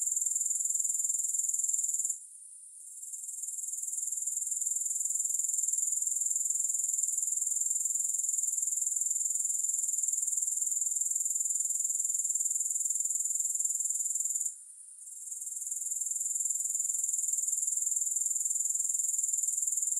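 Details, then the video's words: A continuous high-pitched insect buzz from grasshoppers, with no music, made of fast regular pulses. It cuts out briefly twice, near two seconds and again near fifteen, then swells back to full strength each time. "Grass Hopper Sounds"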